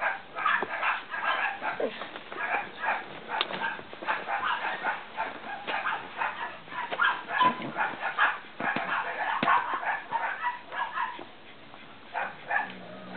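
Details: A litter of Cavalier King Charles Spaniel puppies from Danny and Daisy II making dense, overlapping yips and squeaky whines, continuous for most of the clip before easing near the end.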